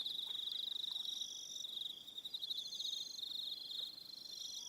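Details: Several crickets trill together on an evening at Aroha Island, New Zealand, producing a constant high rapid pulsing drone with overlapping higher trills starting and stopping every second or two.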